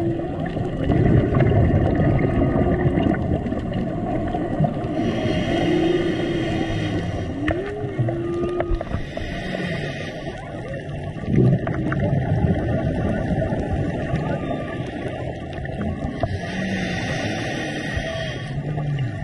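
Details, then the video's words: Humpback whales serenading divers at close range off Maui in March: swooping rising-then-falling moans and shorter groans scattered through the clip, amid heavy underwater rushing, bubbling and intermittent crackle from equipment. "Diving in Maui (Serenaded by Humpback Whales)"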